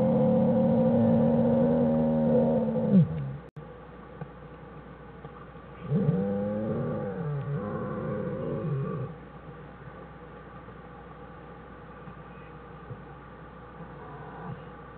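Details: Den recording of American black bear Jewel with cubs Fern and Herbie on January 1, 2013, Wildlife Research Institute: a steady harmonic wail for three seconds, a pause, then a wavering, pulsing call, then quiet rustling.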